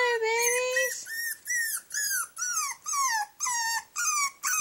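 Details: Baby puppy shut in a cage overnight, crying: a long even whine, then short arched yelps that dip in pitch, repeated roughly twice a second.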